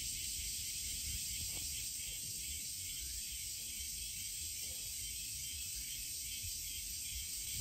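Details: Cicadas in a Japanese summer chorus under a blue sky, a dense, unbroken shrill buzz that holds steady throughout.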